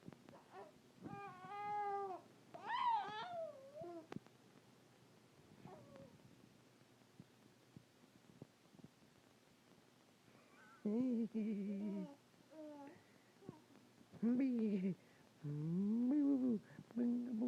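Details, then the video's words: Pet cat vocalizing indoors, a series of tonal, wavering meows with rising and falling pitch, some clustered around one to four seconds and more from eleven to seventeen seconds, with quiet pauses between. "Violet makes sounds"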